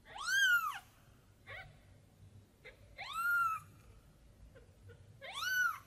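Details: Tiny kitten looking for mom, crying in three long drawn-out arched meows about every two and a half seconds, with short faint chirps in between.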